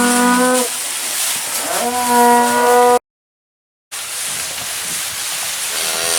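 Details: Fancy Black Angus cows with spring-born calves gathered for a complete herd dispersal at a Minnesota sale barn; two sustained level bawls and a bending moo, then a break and faint distant lowing under hiss.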